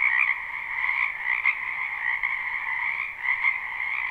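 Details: Frogs in a wetland during spring, recorded live: a dense croaking chorus forms a continuous buzzy trill on two stacked pitches, with brief louder surges near the start and the end.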